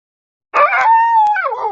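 A dog gives a brief howl. It opens with a rough burst, holds a steady mid-pitched tone, then slides downward at the end. No other sounds are heard.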